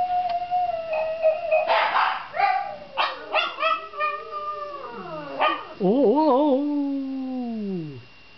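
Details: Howling dog, 21 December 2009, giving a long sustained tone, then a run of short broken yelping howls, ending in a loud wavering, quavering howl that slides downward and fades.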